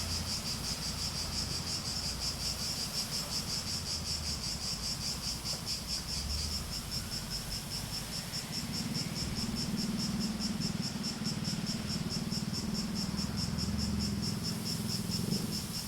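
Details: Cicadas in a relaxing nature soundscape: a steady pulsed high buzz, beating about two to three times per second throughout, over a low droning hum that grows louder in the second half.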